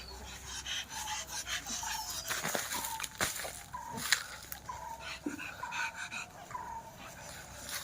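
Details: Mixxi, a pet Labrador Retriever, around a leap into water: brief, steady whimpers recurring roughly twice a second over constant broadband splashing and rustling noise.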